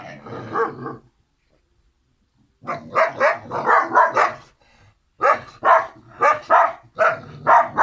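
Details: Yapping from the Kangal puppies Karo and Karaca: a short burst, about a second and a half of silence, then two rapid runs of high, sharp barks.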